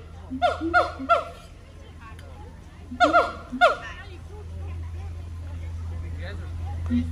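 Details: At the Honolulu Zoo on Oahu, Hawaii, siamang gibbons call on September 15, 2022. Two short bursts of three or four loud, ringing whoops are separated by a pause, with crowd chatter filling the gaps.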